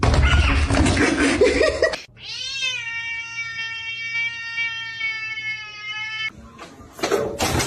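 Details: Kitten crying with one long, drawn-out meow held steady for about four seconds after a brief rising start, richly harmonic and tonal; bursts of loud noise come before and after it.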